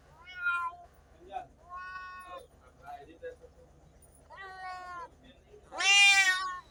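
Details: Cats and kittens meowing, a series of rising, harmonic meows of varying length, ending in one very loud, high, strained meow, with a low hum beneath.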